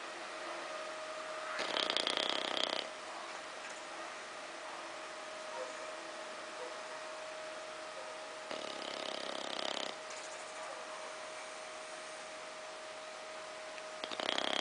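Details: Bulldog named Ozzy snoring while asleep on a small sofa: rasping, noisy snores about every six to seven seconds, each lasting over a second, with a steady faint hum running underneath throughout.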